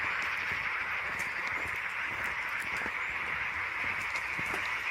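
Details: A dense frog chorus gives a steady, massed trilling drone with overlapping rapid pulses from the Şıh Mahmut Karagöl forest lakes in the Amanos Mountains, Dörtyol, Hatay, on 12 March 2024.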